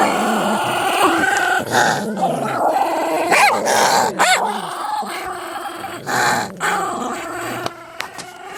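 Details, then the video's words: Two or more pet dogs in a fight they often have; rough snarls and growls mixed with short yelps and scuffling thumps, irregular bursts of sound over the whole stretch. "DOGS FIGHTING!!!!!!!"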